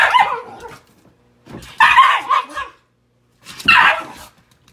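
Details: Shiba Inu (Canis familiaris), protest yelps: objecting to a person's unsafe behaviour.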